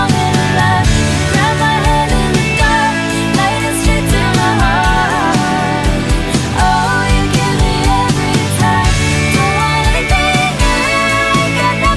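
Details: Loud band music with steady drums, guitars and singing throughout, and no animal sound.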